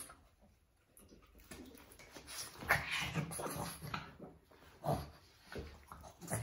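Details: Boston Terriers, a pair of dogs tussling inside a small room; after a quiet first second come rough growls and a sharp whimpering yelp near the three-second mark, then further bursts of snarling scuffle.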